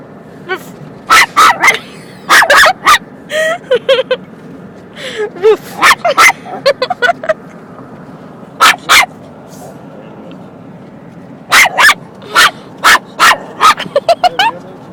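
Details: Pet dog scared of a kitten, giving sharp yipping barks in irregular clusters of two to five, with quiet pauses between bursts; faint voices and low room hum underneath.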